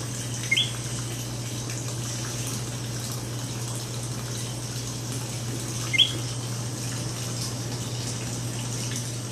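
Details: Coqui frogs in San Juan, Puerto Rico, give two short, sharp rising chirps spaced about five seconds apart, heard over a steady low hum and constant hiss.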